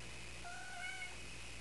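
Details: A sweet trill from Calliope, a female cat due to be spayed: a smooth, sustained tonal note with layered harmonics, lasting under a second. It swells slightly in the middle and then fades, set against a low indoor hum.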